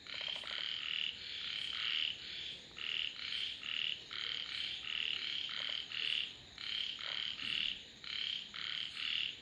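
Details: Chorus of frogs giving dense, rasping croaks in rapid overlapping bursts, each under a second, nearly continuous, over a thin steady high-pitched insect drone.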